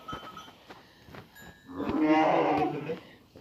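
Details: Young lambs in an evening barn around feeding and suckling time; one long, wavering bleat with rich harmonics swells for about a second amid clanks and a person speaking Turkish.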